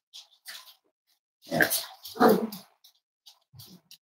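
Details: Cavalier King Charles Spaniel puppies snuggling indoors on a warm Friday morning in a home raising emotional support animals; two loud, rough grunting growls about a second long, with softer snuffling and rustling bursts before and after.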